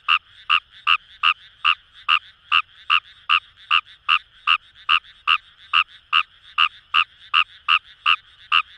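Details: Fast, regular rasping notes from Fejervarya kawamurai in Japanese paddy fields by the Kamo River, Itoshima, Fukuoka, around two and a half croaks each second, with other frogs faintly trilling behind.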